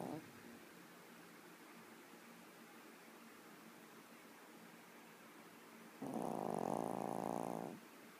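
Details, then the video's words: Yorkshire Terrier in a very deep sleep snoring loud; near-silence, then one rough, buzzy snore lasting under two seconds before quiet returns. "Yorkie Snoring"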